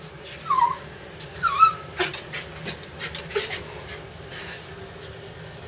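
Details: Digger, a pet dog excited about his bath while the water is drawn, gives two high, thin whimpers early on, followed by clattering and splashing sounds in the background.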